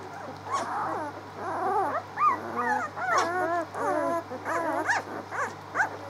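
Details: Six-day-old puppies recorded on 19 March, whimpering and squeaking in a busy chorus of short, wavering, rising-and-falling whines that overlap from several pups, with a steady low hum beneath.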